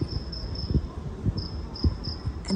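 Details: At night, a cricket inside the humid airport in Dakar, Senegal, trills high and thin in short repeated bursts over a low indoor rumble; at first it was taken for little frogs.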